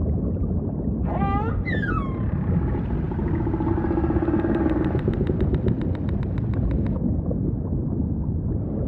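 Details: Humpback whale singing against heavy low ocean ambience, opening with two fast upward-bending whoops layered in bright harmonics, followed by a faint wavering moan and a long train of rapid clicking pulses that stops abruptly.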